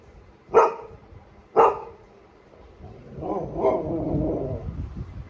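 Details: Golden Retriever Nero, excited about going out, gives two loud barks a second apart, followed by a softer, rougher whine-like vocalisation and background murmur.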